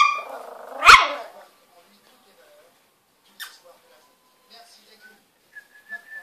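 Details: Young Spitz puppy letting out one sharp, high bark after a short rising whine, followed by near silence with faint clicks and a thin whistling tone at the end.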